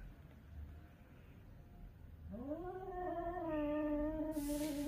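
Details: Stray cats in Korea during a territorial fight. After two quiet seconds a loud, drawn-out yowl rises in pitch and holds as a long, wavering wail that grows louder toward the end. A brief hiss-like noise is heard at the close.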